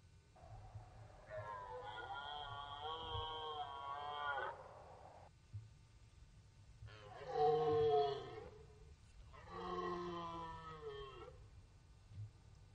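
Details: Red deer stag roaring during the rut on the Orzysz military training ground in Poland, an archival recording: three long, harmonic, moaning bellows, the first about three seconds, then two shorter strained roars with a low hum beneath.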